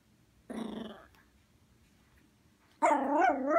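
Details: Indoor tantrum from a female Poodle just woken up: a short rough growl, then after a pause a louder, wavering harmonic growl-bark that carries to the end.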